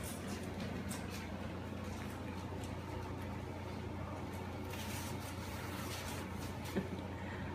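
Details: Indoor room noise with a low steady hum and faint rustling and handling sounds fills the recording, with no animal call.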